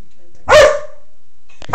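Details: A single loud, sharp dog bark, made in reaction to a vacuum cleaner. Silence follows, then a short burst of noise at the end.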